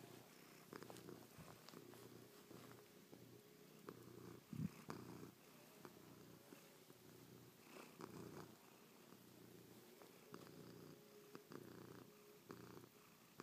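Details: Affectionate house cat Chloe purrs while kissing, pawing and licking her owner's face, having slept on the owner's back all night. The deep rumbling purr swells and fades in slow breathing cycles, with occasional licking and rustling sounds close by.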